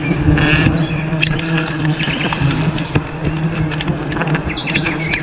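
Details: Honey bees during wild honey harvesting in a forest: a steady low droning hum runs throughout, overlaid with scattered clicks, rustling and brief high chirps from birds.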